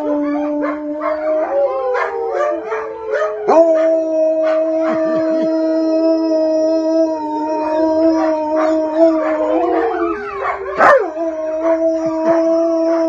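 Wolfdogs and a wolf howl together in long, steady, overlapping tones that slide up and down.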